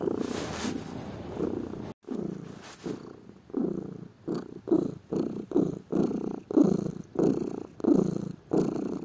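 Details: Purring from a lazy pet cat, low throaty rumble pulsing in breath-length bursts; a brief rustle or handling noise near the start before the rhythmic purr settles into regular phases.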